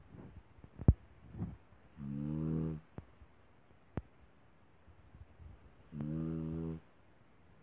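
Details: Snoring small dog: two clear rasping snores about four seconds apart, each close to a second long with a whistling overtone, with a few soft clicks and breaths between.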